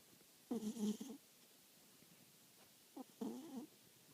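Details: Domestic cat snoring while asleep, very quiet: two rough, nasal snoring breaths about two and a half seconds apart, each lasting around half a second, with silence between.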